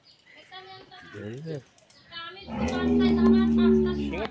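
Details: A 14-day-old calf born through artificial insemination gives a loud, steady, drawn-out moo lasting about two seconds. It follows a person calling it over in Bengali.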